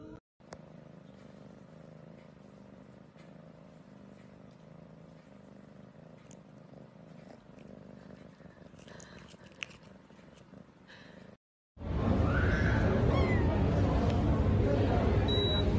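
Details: Domestic cat purring in a steady low rumble for about eleven seconds, a brief pause, then an abrupt burst of loud broadband noise to the end.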